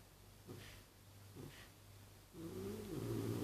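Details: Leonida, a Maine Coon cat, breathing heavily: two soft, airy huffs about a second apart, then a louder, sustained low tonal rumble that fills the final second.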